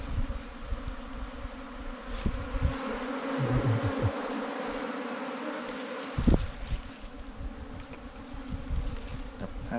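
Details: Wild bees during a honey hunt for wild, ground-nesting and cavity bees, their nest opened to show honey and larvae. A steady low hum with a clear overtone drones throughout, broken by knocks and handling noises.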